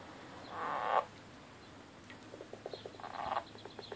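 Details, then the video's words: Angry frogs fighting: two harsh, buzzy croaks about two seconds apart, with a run of short clicking pulses between and after them over faint background hiss. "Frog Fight"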